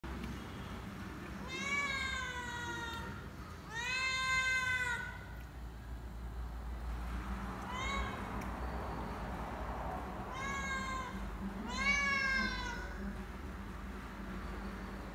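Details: Hungry cat meowing: five drawn-out, rich meows, each rising then falling in pitch, spaced irregularly every two to four seconds, with a low background hum throughout.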